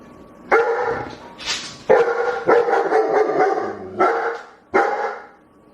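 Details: Dog barking while begging in a fast, excited series of about seven harmonic barks, packed closely together in the middle, with a short higher squeak early on.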